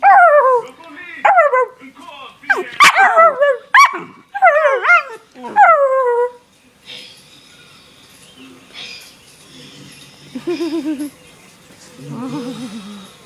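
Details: Pet dog named Daisy, a vocal little dog, giving a run of sharp falling barks and yelping howls in quick bursts over six seconds, then quieter whining calls and faint human voices.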